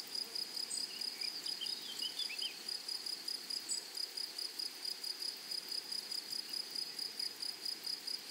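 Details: High, thin insect chirping from grasshoppers in a flowery meadow, pulsed at a brisk, fairly steady rhythm of about two beats per second, with a few faint, brief twittering sounds briefly overlapping early on.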